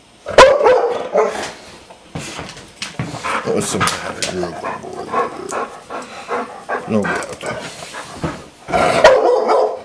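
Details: Dogo Argentino, a pet dog, barking in sharp, loud bursts near the start and again near the end, with scuffling, thumps and a person's voice between the barks.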